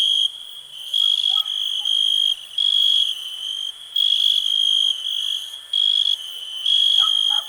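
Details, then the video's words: Shrill, buzzing cricket trill that pulses on and off in regular one-second bursts over a quiet background, with scattered faint lower peeps. "cricket relax"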